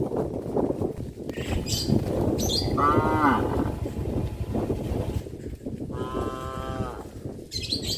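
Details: Cows roaming the streets of a village with a traditional farm; two drawn-out, harmonic moos, the second steadier and longer, over a constant rumbling background with brief high hissy bursts.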